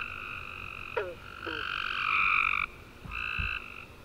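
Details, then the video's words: Warm summer night after rain, tree frogs chirping in chorus: swelling buzzy trill peaking then cutting off, a pause, another trill, with a few quick sliding chirps early on and soft low knocks. "Tree Frog Chorus After A Warm Rainy Day"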